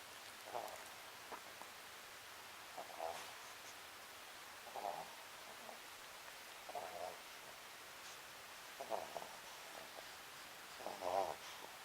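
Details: Sakura the Papillon sleeping and snoring, a short nasal rasp roughly every two seconds, six snores in a row, faint rustling in a quiet room.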